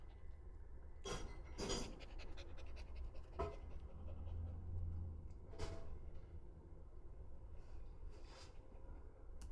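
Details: Pet Shiba Inu Azuki panting: scattered breathy huffs at uneven intervals, some doubled, rising out of a constant low hum of room noise.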